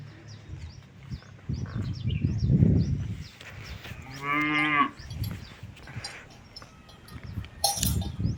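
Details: Cattle eating outside a farm give a single deep, harmonic moo lasting under a second, set among rustling and chewing noises, with small birds chirping high in the background.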